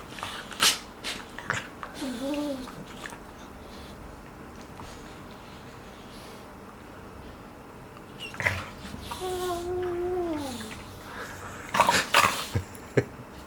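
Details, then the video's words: Two five-month-old golden retriever puppies, Jack and Tommy, playing indoors. Two drawn-out, falling, groaning whines with clear harmonics, one short and one longer, set between sharp knocks and scuffling thumps from their play. "My golden retriever puppies make such funny sounds when they're playing"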